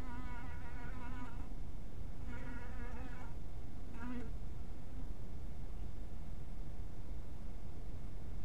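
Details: Honey bees around a small bee house at twilight: three short buzzing passes, a low droning hum with bright overtones and slight wavering pitch, over constant low rumble, then only the rumble remains.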